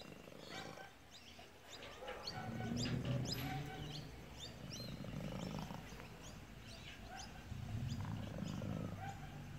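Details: Pet cat making a strange noise likened to a car engine: a low, pulsing rumble that swells and fades in waves, with sharp bird chirps in the background.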